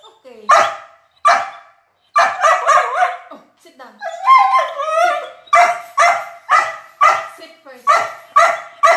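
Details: Border Collie reviewing her favorite chicken, vocalizing in a talkative run of sharp barks and yips mixed with a longer wavering, yodeling whine midway, bursts spaced about a second apart.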